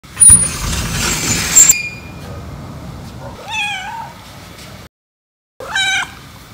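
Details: Jealous white domestic cat meowing while its owner pets a black cat indoors; after a burst of rustling handling noise, two separate rising-then-falling meows, the second shorter and sharper, with brief silence between them.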